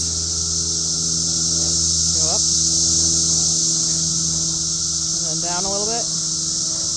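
A cicada's steady, high-pitched buzz fills the air while a person speaks briefly.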